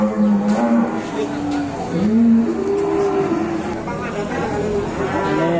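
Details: During unloading of big-legged cattle, loud low moos swoop upward and hold, a sequence of drawn-out bellows with rich harmonics, faint voices and clatter behind.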